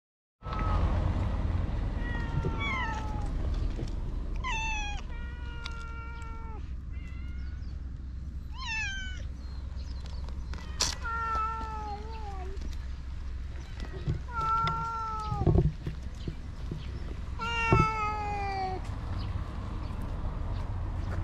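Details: Stray cats outdoors, filmed on a GoPro HERO8: a run of loud, clear meows, each drawn-out and slightly falling, coming in bursts of one to three with short pauses, over a steady low rumble.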